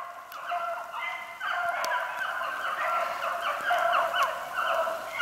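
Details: Pack of beagles, including Spade and Gracie, running a snowshoe hare on 8 March 2016 as rain begins; several dogs bay together in a continuous overlapping chorus of ringing, harmonic voices with no pauses.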